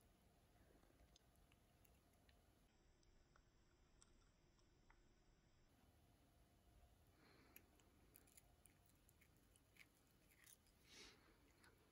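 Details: Quiet indoor room tone with faint clicks, chewing and handling noises, and no clear animal vocalisation.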